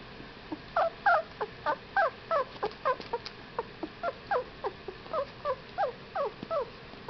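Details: Fifteen-day-old Whippet puppies squeaking and whining, short high-pitched cries with wavering, up-and-down bends, repeated several times a second in an uneven stream of overlapping calls.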